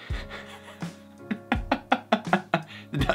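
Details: Music with sharp percussive knocks repeating roughly every fifth of a second, with no animal sound heard.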